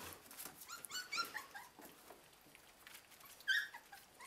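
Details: Border Collie puppies of a litter, calling indoors with thin, high-pitched squeaky whimpers, brief rising and falling yelps clustered in the first second and again near the end, separated by quiet pauses.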